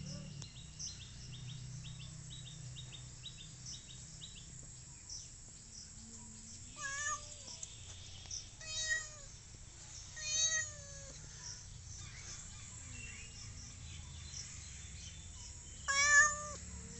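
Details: Village cat giving about four drawn-out, harmonic meows spaced irregularly through the second half, each bending upward then falling, the last loudest; high repeated chirps run at the start over a steady low background rumble.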